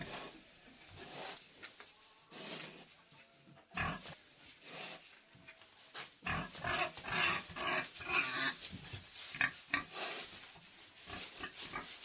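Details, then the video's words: Pig housed in a sty grunting and squealing in dense irregular bursts over a rustling background, with a sudden louder outburst partway through and steady grunting after. "Pig In Pig Sty Sound Effect"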